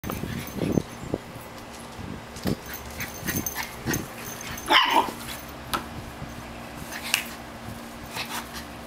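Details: An 8-week-old Shiba Inu puppy, trying to keep up with an adult West Highland Terrier, gives scattered brief high yelps and low rough growls, with one sharper squeal midway, amid thumps, clicks and scuffling.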